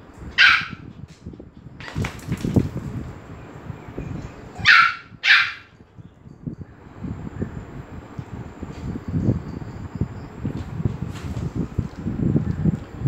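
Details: Dogs at Phuket Dog Resort, Thailand, grow excited as Pomeranian Fendi comes in. A sharp, high bark rings out near the start, then a quick pair of barks around five seconds, over a steady low rustling and shuffling.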